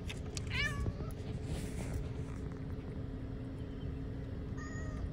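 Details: Hungry cat outdoors eating cut fish gives a falling, tonal meow near the start, then a shorter, steadier meow just before the end, over a constant low rumbling hum.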